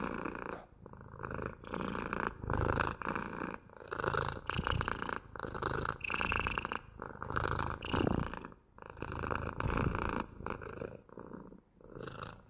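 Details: Domestic cat purring steadily at close range, a rough rumbling drone that swells and dips with each breath roughly every second, with short quiet gaps between cycles.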